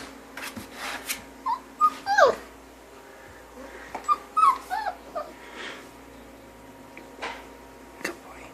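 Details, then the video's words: Puppy meeting its new owner, giving short high squeaky whimpers and yips in small bursts, some sliding down in pitch, separated by quiet pauses, with faint background hum and handling sounds. "Adorable Puppy Making Puppy Sounds"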